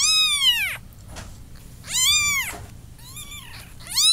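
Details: Repeated kitten meowing: three loud, bright, arching cries spaced about one and a half seconds apart in a quiet room.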